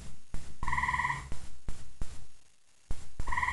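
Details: Very loud gray tree frog at night in Central Indiana giving a quick pulsed trill, then a second starting near the end, amid repeated low thumping knocks.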